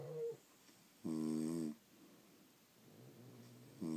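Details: A sleeping French Bulldog snores in a strong, rattling nasal burst of about half a second, followed by a quiet breathy pause and the start of the next snore.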